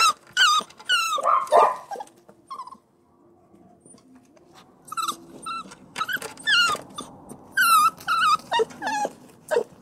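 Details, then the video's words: Whimpering puppy giving shrill, wavering cries in quick succession, a short silent gap, then renewed high whines with falling tails over low background noise. "Puppy Whimpering and Crying"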